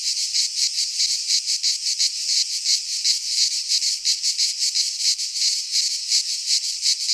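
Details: Midsummer cicada chorus from a pine forest in Greece, many insects together: steady shrill buzz rising and falling in quick pulses about three per second, unbroken and dominant, nothing else audible.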